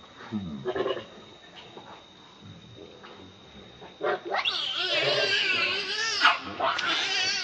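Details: Begging its mother for milk, a baby monkey is quiet with a few soft sounds at first, then bursts into a long, loud, wavering high-pitched scream that runs to the end.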